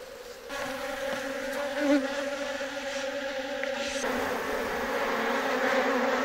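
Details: Colony of Japanese honeybees (Apis cerana japonica) at a box hive during a honey harvest in Kyoto, Japan. A strong, even hum with clear stacked tones swells in, then blurs into a broader rushing drone midway.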